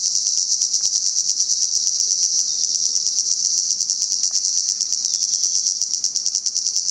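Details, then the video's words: Cicada chorus recorded in Salta, a dense shrill buzz with a fast pulsing flutter running through it, staying loud and unbroken from start to finish. "Sonido de las Chicharras"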